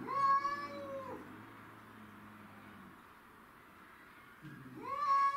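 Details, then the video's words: Territorial fight between domestic shorthair cats, Tom, Mimi and a grey and white stray from the neighbourhood: a harsh wailing yowl falls away into a low throaty growl, then a fresh rising howl breaks out at the end. "Craziest Cat Fight Compilation Video"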